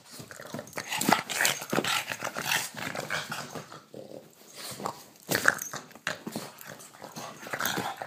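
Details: Boston terrier in a night-time play bout, biting at a hand indoors; low rasping growls and snorty breaths run almost continuously with a brief lull midway, over rustling and contact noises.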